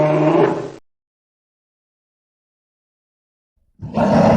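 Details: A polar bear (Ursus maritimus) gives two deep, rough roars separated by a few seconds of silence.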